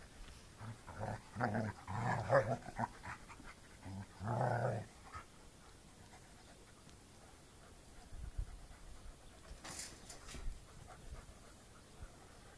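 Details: German Shepherd Chenko, a rescue from Romania once poor with other dogs, meeting Molly Moo; low growling and panting bursts in the first five seconds, then quieter rustling and a person's voice.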